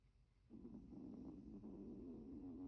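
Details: Milton, a sleeping Chihuahua whose eye twitches, gives a soft, steady, low droning snore that starts after a short silence and runs unbroken for two seconds.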